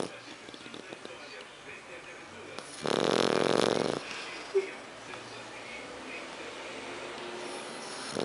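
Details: French Bulldog named Héron asleep and snoring; one loud, buzzing snore of about a second rises out of a quiet room, followed by a soft click and faint background hiss.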